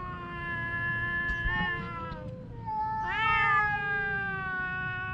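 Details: Domestic cat fighting with its mate, giving long drawn-out harmonic yowls that hold steady, dip, then rise sharply into a loud wavering wail after three seconds, with low rumbling background noise.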